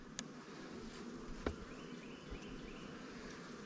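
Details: Honey bees at a newly captured swarm hive, some on the top cover, giving a low steady hum with a few sharp knocks and clicks from handling the hive.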